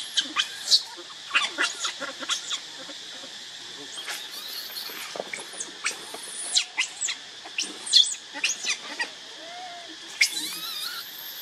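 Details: Hungry baby monkey named Leo (Rainbow) crying to its mother for milk. Shrill squeaks and sharp squeals arrive in quick uneven bursts, some sliding upward, a few longer whining notes between, over constant high-pitched hiss.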